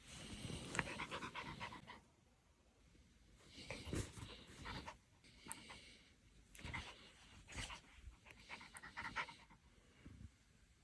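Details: Maltipoo puppy named Lucky, a gentle pet dog, playing with its owner's teasing; soft bursts of panting and snuffling breaths come in uneven clusters with quiet gaps between, indoors.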